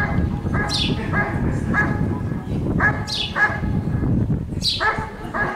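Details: Giant Schnauzer named Rick vom Lindelbrunn barking during a 2022 IGP CACT trial in Russia: rapid clustered barks, roughly eight, in quick pairs and triplets, with shrill falling chirps repeating above and a constant low background rumble.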